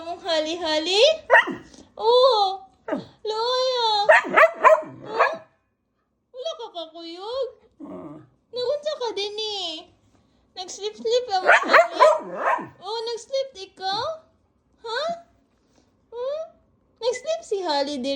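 An Aspin dog 'talks' in wavering, rising and falling yowls and moans, with a person speaking too.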